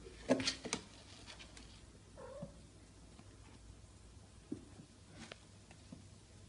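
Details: Four-week-old Bengal kittens being litter trained: one short, descending mew comes midway, after a burst of sharp clicks and scratchy rustles, over a steady low indoor hum.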